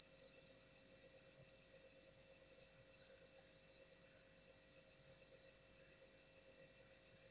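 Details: After rainfall a cricket keeps up an unbroken, piercing high-pitched trill, finely pulsing and even in loudness from start to finish, alone against silence.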